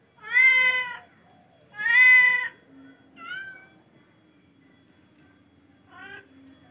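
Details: Charcoal F1 cat meowing: two long, loud meows about a second and a half apart, followed by a softer brief chirp-like meow and a short final call, low hum underneath.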